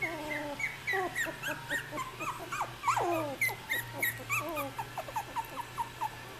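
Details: Australian Terrier puppies, 3.5 weeks old, settling for nap time, whimper and squeal continuously in overlapping wavering high cries, with one louder sliding yelp midway, then quicker short whimpers repeated several times a second over a low hum.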